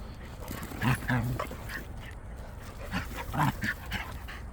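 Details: Puppy that is very fond of its friend, giving short whining whimpers and yips in two clusters, the first near the start and the second about two and a half seconds later, over a low background hum.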